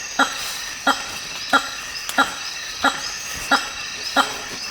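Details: Hammer-headed fruit bat calling in the African rainforest, a series of loud resonant honks repeated steadily about every two-thirds of a second, seven in all, over a constant hiss of rainforest insects.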